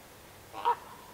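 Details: A roe deer in a small herd of young bucks and does gives a single short, harsh, hoarse call against a quiet background.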